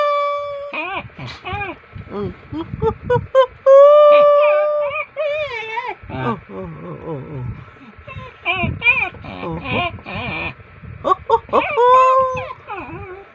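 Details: Pet dog 'talking' back to its owner with drawn-out whining, moaning vocalizations, wavering and rising and falling in pitch, interleaved with a person's speech, background music and a steady hum.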